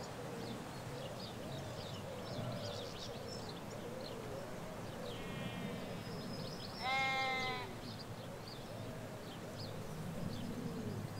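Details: In a Hampshire field in England where ewes graze with lambs, a single loud, harmonic bleat rings out near seven seconds over soft background bird chirps, faint distant calls and low traffic rumble.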